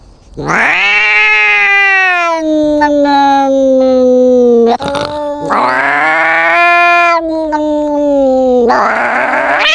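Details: Cat fight: drawn-out, harmonic yowling in three long wails, each starting with a sharp rise then sliding slowly lower, with brief crackling scuffle noises between them.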